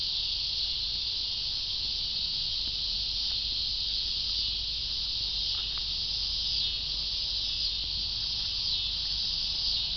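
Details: Cicadas sustaining a loud, even, high-pitched whirring that never pauses, with slight pulsing in the upper edge and a few soft clicks.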